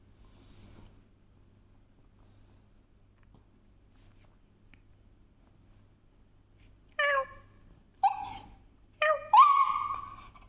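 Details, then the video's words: Pet dog making noise indoors: near silence for seven seconds, then three short whining yelps about a second apart, the last a longer rising-falling whine, over a low steady hum. "My Dog Is making noise"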